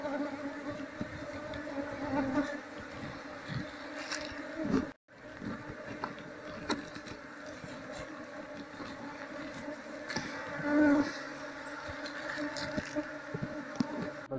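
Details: Asian honey bee (Apis cerana) colony being moved by hand into a cultivation hive box, the queen sought so the colony follows. Steady, droning hum with a low humming band and faint overtones, briefly cut off midway, occasional louder swells.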